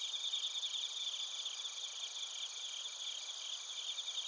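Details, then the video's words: Bell crickets and field crickets singing in Narita, Chiba, Japan, recorded with a TASCAM Portacapture X8: high shrill overlapping trills form a steady ringing wall of sound, faint pulsing chirps running through it. "スズムシとコオロギの鳴き声 - Chirping of crickets"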